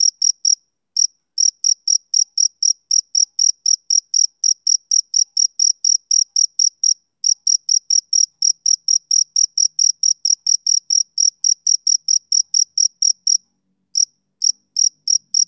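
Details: Male cricket chirping on a summer evening: high, pure pulses about three per second in an even rhythm, broken by brief pauses near seven and fourteen seconds; no other sounds.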